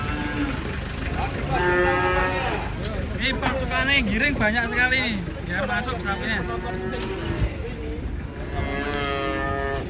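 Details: Angry cattle unloaded from a truck in Indonesia, bellowing in a run of loud, wavering moos that rise and fall, several overlapping over ten seconds, with shouting people herding them in the background.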